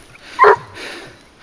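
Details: Garuo, a 22-month-old dog hunting wild boar on a leash, gives one short, sharp bark mid-clip, followed by a softer, fainter sound and quiet outdoor background.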